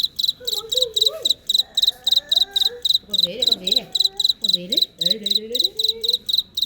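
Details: Cricket calling in real life: bright high chirps of a few quick pulses each, repeated several times a second at a steady pace, with a man's voice talking in Vietnamese over much of it.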